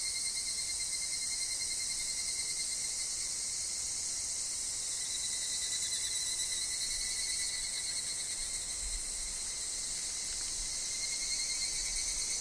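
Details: Woodland chorus of higurashi: an unbroken shrill buzzing wash sitting very high, steady for the whole stretch, with a faint lower tone running alongside.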